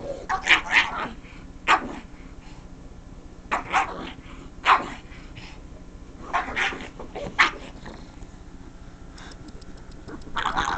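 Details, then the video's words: Pug, a female pet, reacting with odd noises to the sound of someone scratching the couch; short sharp yelping barks and squeals in irregular bursts about every second or two, with brief gaps between. "Pug making really funny noises!"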